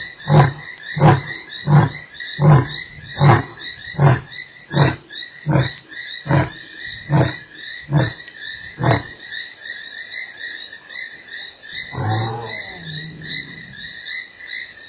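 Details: Lion at Nkorho, 3 March, one of eight roars heard within an hour: about twelve deep grunts spaced under a second apart fade out by nine seconds, then one brief low rumble amid continuous shrill insect trilling.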